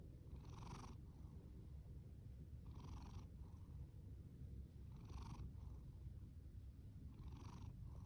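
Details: Fasu, a rescued orange tabby tom born October 2019, snores over a constant low purr, with raspy breath bursts recurring roughly every two and a half seconds, four in total.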